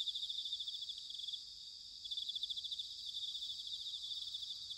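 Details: Several bell crickets singing together in autumn at Sanuki, Chiba, Japan: continuous high, shimmering pulsed trills with a gentle rise and fall, over soft low background noise.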